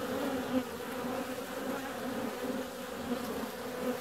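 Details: Honey bees out flying on a warm February day: a continuous even drone of wingbeats, low and humming with a clear upper overtone, holding steady for the whole stretch.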